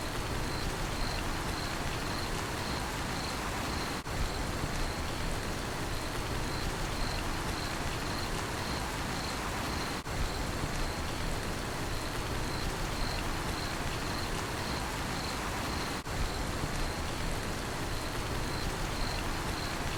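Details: High, clipped cricket chirps keep an even rapid rhythm throughout, set against heavy, steady rain noise that fills the low and middle range.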